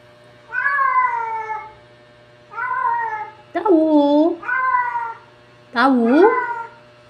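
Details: Cats talking at home: five long meows, some level and plaintive, others sliding up and down in a complaining tone, separated by brief quiet gaps.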